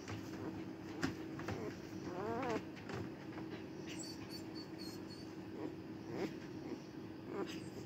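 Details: Cardigan Welsh Corgi on the day of giving birth, filmed 29 March 2024: a few soft, quiet whines, one wavering rising-and-falling whimper near the middle, over a steady low indoor hum.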